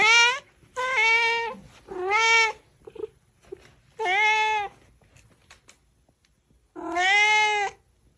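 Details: Cat and kitten meowing in quick succession: five drawn-out bright meows about half a second to a second long, slightly rising and falling, with brief soft squeaks between.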